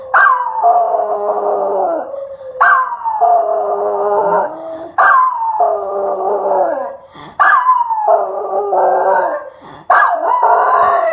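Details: Pet Schnauzer that loves to sing, recorded 15 February 2015, howling in a series of about five long tonal wails, each roughly two seconds, opening high then sliding and wavering downward, separated by short breaths.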